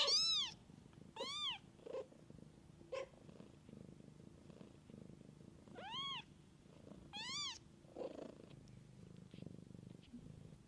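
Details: Kittens cared for by their mother in the wild: loud, high, arched mews in twos and singles, about five calls, separated by quiet pauses filled with a faint low rumble.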